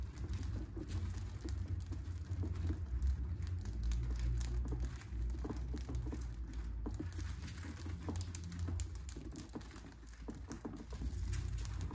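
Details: No animal voice is heard, only steady low rumbling room noise with soft irregular pattering and crinkling.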